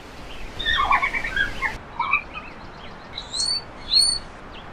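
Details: Red pandas, one of three filmed together, giving scattered high chirping squeaks in short clusters, some rising and some bending downward, with an abrupt change in background sound midway.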